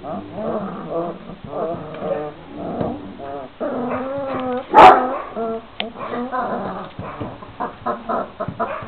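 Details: Young Šarplaninac puppies, 26 days old, whimpering together in a constant stream of wavering, nasal whines, with one sudden loud yelp cutting through halfway before the soft whining resumes.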